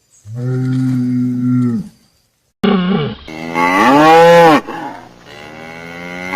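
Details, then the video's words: Cattle mooing. A steady, deep, resonant low comes first, then a louder bellow that swells upward and falls away. A sharp edit separates the two calls. "BOI BERRANDO | SOM DE VACA | SOM DE BOI | TOURO BERRANDO | BOI MUGINDO | VACA MUGINDO - SOUND OF COW"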